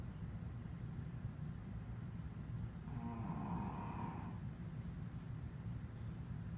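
A Shih Tzu snores with a steady low rumble, broken once by a brief whistling wheeze.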